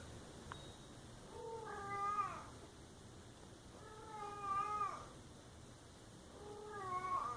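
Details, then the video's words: Pet cat meowing indoors, three long wailing calls that rise and fall, spaced roughly two and a half seconds apart, with a faint click near the start. "Funny cat sounds"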